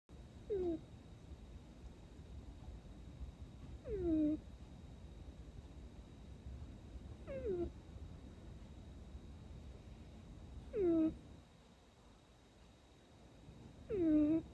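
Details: Sleeping Persian cat, said to be dreaming, snoring and sleep talking: five short descending mewing sounds, one roughly every three to four seconds, over a faint steady hum in a quiet room.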